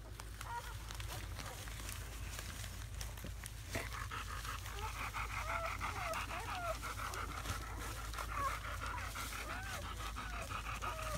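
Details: Within the first hours of life in May 2017, a litter of seven German Shepherd pups (four boys, three girls) gives a brief early squeal, then after a few seconds a run of small curved squeaks and whimpers over constant background hum.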